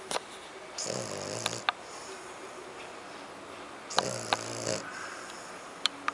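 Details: Kiko, a dog, with French Bulldog and Pug named, snoring indoors: two rasping, rumbling snores about three seconds apart, each lasting close to a second, with faint clicks and quiet room noise between them.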